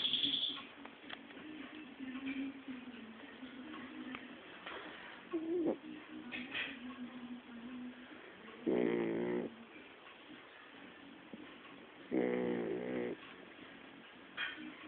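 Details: A domestic dog snores while asleep indoors: raspy nasal snores with layered buzzing tones come in two strong bursts several seconds apart, with softer breathing and faint humming in between.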